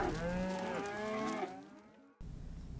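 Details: Cow mooing, from a farm animal names and sounds lesson: one long, deep, harmonic-rich moo lasting about a second and a half. It slowly fades, then the clip cuts sharply to quiet low background hum.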